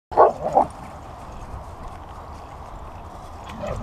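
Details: Delta, a husky, playing while the sun shines; two short, bright yipping vocal bursts in quick succession right at the start, then only soft background hiss for the remaining few seconds.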